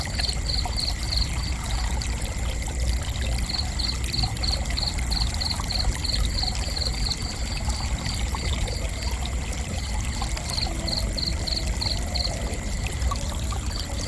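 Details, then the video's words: Cricket calling in bursts of rapid, high, evenly spaced chirps separated by quieter pauses, set against a steady background of trickling, rushing water. "Gentle Cricket Chirping"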